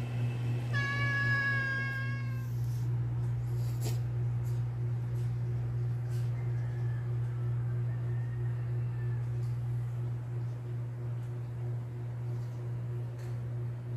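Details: Morning meow from cats waiting for their food: one clear harmonic meow near the start, then faint, distant mews against a steady low hum and a few clicks.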